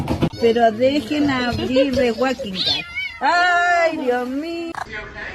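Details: Kitten giving long, wavering, moaning meows in a small room, one drawn-out cry followed by a second smoother, rising-then-falling meow, with faint voices underneath.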